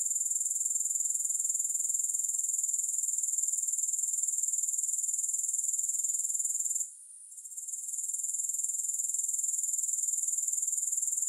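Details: Continuous high grasshopper stridulation in fast even pulses, briefly fading out near the seventh second and swelling back to full strength; no music or other sounds.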